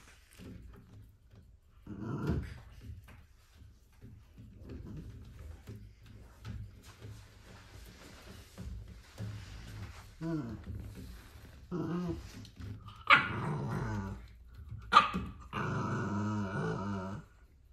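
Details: A male corgi puppy, caught biting a bicycle pedal, gives low rumbling growls, then sharper, harmonic yips and whines.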